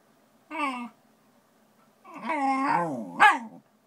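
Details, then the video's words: Ponta the Shiba Inu reacting to a Shiba-shaped notepad indoors: a short tonal whine, a pause, then a longer wavering grumbling yowl that bends up and down, ending in a sharp yelping peak. "Ponta Weirding Out"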